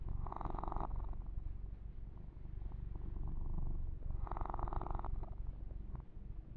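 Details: A kitten named Yumak purrs steadily as he is massaged; the low vibrating purr never stops, overlaid by two longer swishes of fur being rubbed, one at the start and one later.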